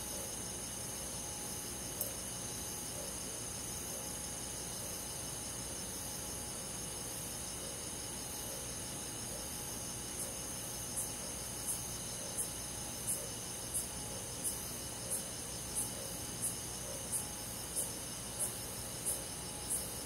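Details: Cricket on a summer night in the countryside forest: after a quiet first half, high, sharp chirps begin, repeating about every two-thirds of a second over a steady, hissing insect chorus and faint low hum.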